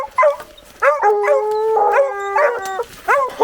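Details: A young female blue coonhound pup, on a cold December night hunt, stands with her paws up on a tree and lets out long, drawn-out bawls with yelping breaks, baying at a treed raccoon.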